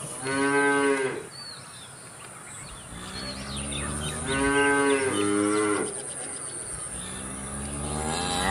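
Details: Cows giving short, nasal moos about a second long, one pair close together, followed by a lower drawn-out call; light bird chirps and a steady background hiss accompany them.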